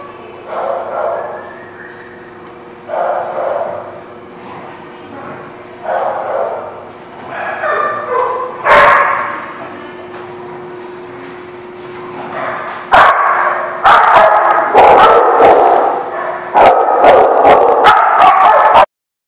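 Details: Dog barking, recorded 24 April 2017: short harmonic barks in bursts roughly once a second at an irregular pace, with a sharp loud crack near the middle and denser, louder barking toward the end. Faint voices also present.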